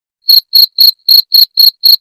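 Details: Cricket chirping, played to drive away rats: seven loud, even chirps in about two seconds, each a short buzzy pulse with a bright high ringing tone, separated by clean silent gaps; no other sounds.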